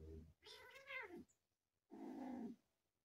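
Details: A domestic cat gives two meows: first a long, arching cry rich in harmonics that rises and then falls, then after a short pause a lower, flatter and shorter mew, with faint room noise between.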